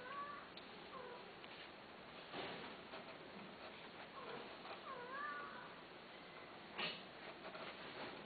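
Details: Domestic cat making several quiet, wavering meows, each a short curved cry rising then dipping, spaced a few seconds apart over a constant noisy background with occasional knocks.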